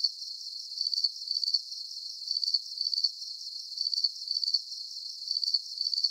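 A cricket chirps steadily, high shrill pulses repeating in short regular bursts.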